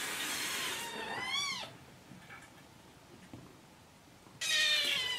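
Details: Kittens asking for food in the morning, indoors; a short meow bending up then down, a quiet gap with faint sounds, then another meow beginning under a burst of broadband rustling noise.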